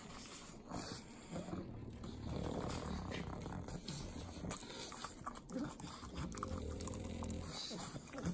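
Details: Three pug dogs eating butter in Southern California's Inland Empire: continuous sloppy wet licking and smacking with low grunting snorts throughout, dense clicky mouth noises and steady snuffling breath.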